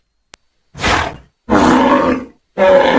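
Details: Domestic bull bellowing angrily in pasture: three harsh, rasping bursts with a short lead-in, growing longer, each under a second and separated by brief pauses.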